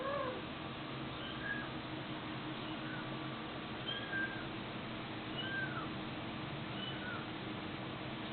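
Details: Domestic cat giving a string of brief rising-then-falling meows, spaced irregularly a second or two apart, set against a steady background hiss.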